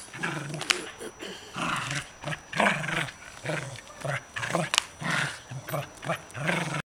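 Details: Kaley the corgi growls during frisbee and ball play, a rough pulsing growl repeated about twice a second, with occasional human speech in the background.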